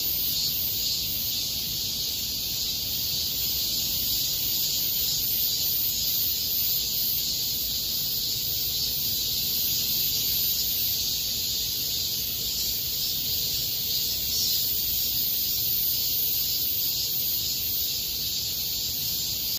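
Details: August 2021 park recording of cicadas: a loud, unbroken high shrill hum with faint rhythmic pulsing about twice a second, and a soft low rumble behind it.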